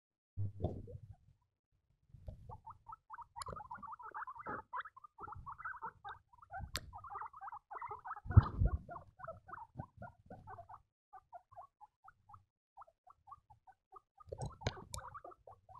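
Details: Baby guinea pigs squeaking: many short chirpy squeaks around one kilohertz in rapid, uneven runs, with soft rustling and a few louder thumps and bursts of handling noise underneath.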